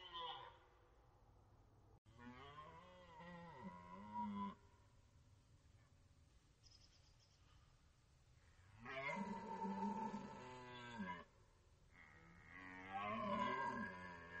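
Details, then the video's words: Archival rut recording from the Orzysz military range: a red deer stag gives repeated long, groaning roars, rich in harmonics, rising then sliding down, spaced by quieter gaps with faint distant rumble. "Archiwalne rykowisko na poligonie Orzysz"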